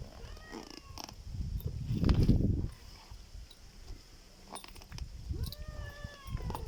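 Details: Black cat giving a strange sound: two short, arched, harmonic cries several seconds apart, each rising then sliding down. Between them is a loud low rumble, with faint high buzzing throughout.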